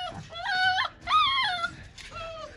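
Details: Siberian Husky in Nepal giving drawn-out whining howls, three tonal cries that rise, hold and drop, the last one shorter and softer.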